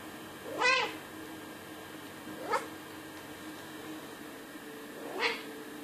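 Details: Pet cat named Wanjai, kept indoors, meowing three times at roughly two-second gaps; each meow is short and harmonic-rich, with the first one loudest and the later two softer, over a quiet room background.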